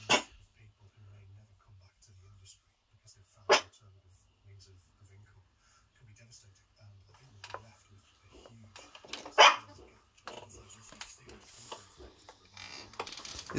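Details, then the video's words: Miniature Schnauzer puppy barking at nothing indoors: three sharp, isolated yaps several seconds apart, with quiet chatter and soft rustling between them and a steady low hum in a small room. "Miniature Schnauzer puppy barking at nothing."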